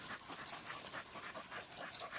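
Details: Young dog in training as a wild boar hunting dog, kept exercising through hot summer weather to build stamina; rapid, breathy, rhythmic panting, roughly four breaths per second, steady and unbroken throughout.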